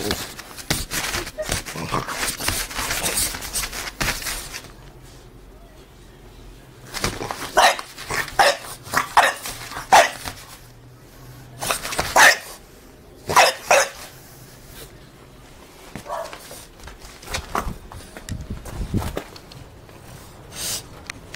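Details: French Bulldog doing an excited crazy dance at a door, giving short sharp barks and yips in irregular clusters separated by quiet gaps, with scuffling and tapping noises between the bursts.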